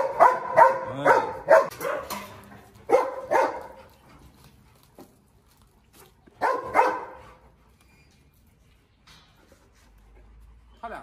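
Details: Presa Canario, the lame 'dog king', still marking territory while facing a rival: a rapid run of about five deep, harsh barks in the first two seconds, two more near three seconds, a pair near seven seconds, then quiet.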